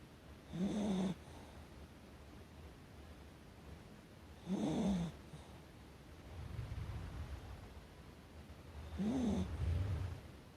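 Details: A pet Chihuahua called Hacchi sleeps indoors near an open window on the afternoon of 29 April 2020, snoring like an old man: three loud, grating inhaled snores about four seconds apart, each followed by a softer, breathy exhale.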